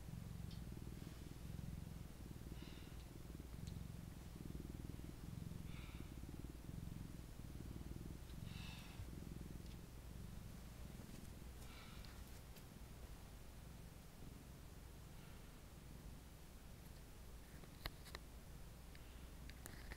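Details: Continuous low purring from a pet cat, a soft even throb held throughout, with occasional light rustling and small clicks nearby.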